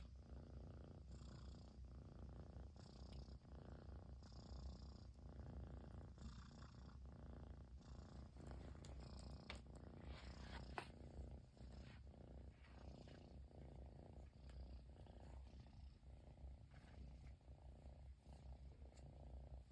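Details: Long, unbroken purring by a Persian kitten in Japan greeting its owner who finally came back home; deep rhythmic rumble with brief handling noises and rustling in the middle.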